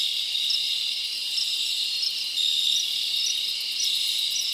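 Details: Crickets in the forest on a summer night keep up a shrill, even stridulation, many voices merging into a high continuous drone with small repeated chirps rising above it.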